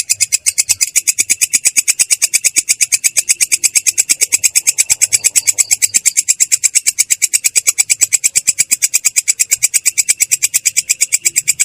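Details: A katydid (belalang kecek) keeps up its ngerol, clear-toned yet rough: dense, evenly spaced high chirping pulses merge into an unbroken metallic trill lasting nearly twelve seconds.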